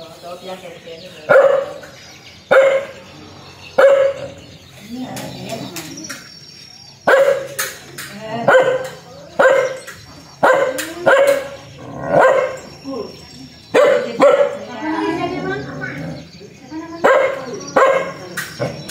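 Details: Aggressive, fierce dog barking in repeated sharp barks about once a second, some in quick doubles, with short pauses between bursts and faint background voices.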